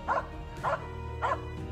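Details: A Finnish Spitz hunting birds (cockerels) south of Stalon near Lake Malgomaj, under low cloud with no rain, gives three sharp, mid-pitched barks about every half second over steady background music.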